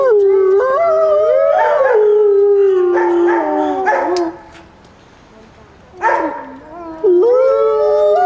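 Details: Several wolves at Grodno Zoo howl together in long, smooth, overlapping tones that slide up and down.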